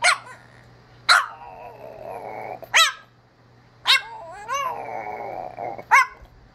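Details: Pierre, a blue French Bulldog, gives sharp yips that slide into wavering, whiny "monkey" howls, being needy and seeking attention.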